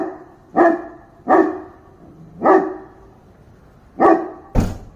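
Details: Dog barking: five loud, sharp barks spaced about a second apart, each with a bright harmonic burst, over a quiet background.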